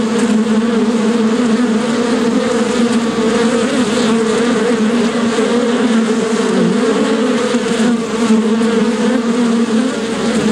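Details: Steady droning buzz of a bee, rich in overtones, with brief dips and wobbles in pitch as the insect moves, otherwise constant and loud.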